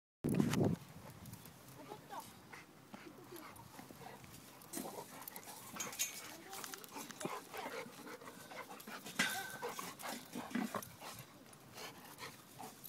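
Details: Rottweiler Betty, a female, and Micky, a male golden retriever, playing together; a short loud low growl opens, then scuffling, panting and rough low grumbles continue under intermittent human voices.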